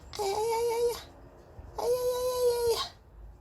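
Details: Paldong-i, a pet cat kept indoors, cries when its owner sneezes: two long, steady, level meows of almost a second each, separated by a short pause, in a quiet small room.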